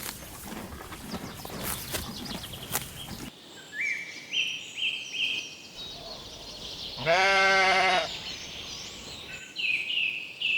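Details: On a spring meadow, grazing sheep give one strong, quavering bleat near the end, while birds whistle short repeated notes throughout and a rustling noise opens the recording.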